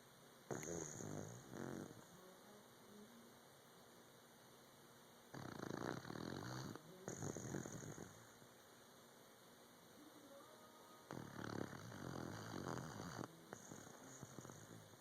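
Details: Sleeping puppy snoring indoors: three long, rough, rasping breaths spaced roughly five to six seconds apart, each lasting about two seconds, with quiet pauses between them.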